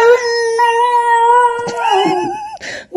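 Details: Basenji howling to its owner in a long sustained yodel-like tone that holds steady, then breaks and slides downward, followed by a few short voiced sounds and a brief noise burst.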